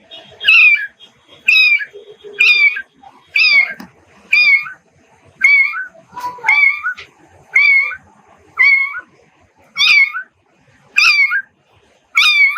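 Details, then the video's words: Domestic cat meowing insistently, about eleven bright, high-pitched mews in steady succession, roughly one per second, each short with a brief upward then downward bend; faint soft background sounds between calls. "Animal sounds: cow, chicken, cat"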